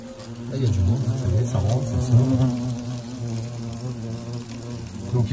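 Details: European hornets flying around their nest, using the camera as a perch; a low droning buzz with wavering pitch rises and falls across the recording, with a voice speaking faintly over it.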